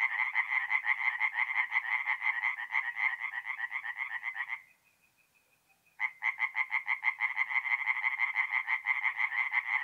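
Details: Singing tree frogs at a north-east Italian forest pond by night in April: rapid rasping pulses that stop for over a second, leaving a faint thin tone, then resume strongly.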